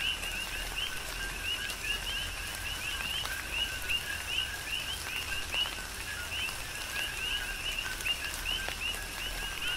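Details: Many coqui frogs call together in tropical rain on Hawaii's Big Island. Quick rising chirps overlap densely over the steady hiss of rain, with occasional sharper raindrop taps.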